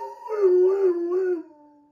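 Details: Large Dobermann howling and crying while its sister undergoes surgery; one sustained, wavering mournful note with a slight rise near the end before trailing off, recorded in a quiet room.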